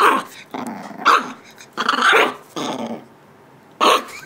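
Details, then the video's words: An 8-week-old male Shiba Inu puppy, showing his mother who is boss, gives a run of sharp, high, rasping barks mixed with little growls. "Shiba Inu Puppy barking and showing who the boss is 8 weeks old"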